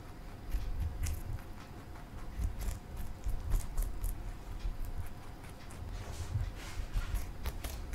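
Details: Marshmallow, a male pet bunny, eating broccoli he loves, indoors: rapid crisp crunching bites and snaps, several per second at an uneven pace, over a steady low rumble of room noise.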